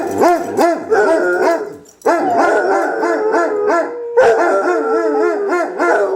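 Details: Two Basset Hounds in a howl-off, voices overlapping in long wavering howls broken by short baying yelps, with a brief pause near the middle before both resume.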